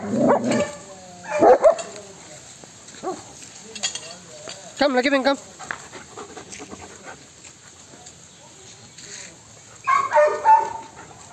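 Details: German Shepherd guarding the house and garden gives a few short bursts of barks separated by quieter stretches, while a man calls out commands nearby.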